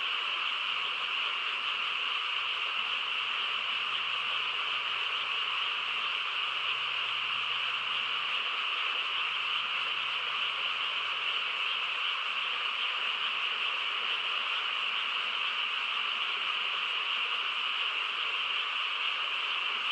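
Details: Frogs chorusing on a quiet countryside night: a dense, unbroken wall of trilling calls in two steady bands, one mid-high and one higher, holding level throughout with no pauses and no other clear sounds.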